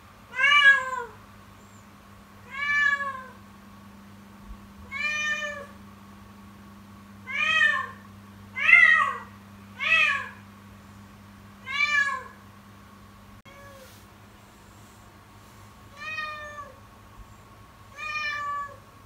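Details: Persistent kitten crying from Yukimi, calling over and over in the morning: about a dozen short, harmonic meows, each bending upward then down, repeated every one to two seconds, softer toward the end, with a low steady hum beneath.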